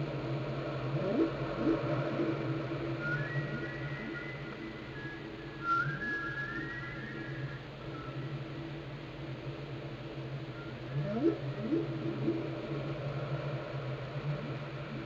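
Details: Whale song and calls from Glacier Bay, Alaska, recorded by the National Park Service and NOAA: long higher whistled tones near the middle, flanked by groups of quick low rising sweeps, over continuous underwater hum.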